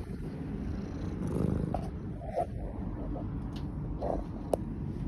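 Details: Tabby cat at a rescue sanctuary in Philadelphia purring while being kissed: a soft, continuous low rumble, with several faint kissing smacks and a sharp click near the end.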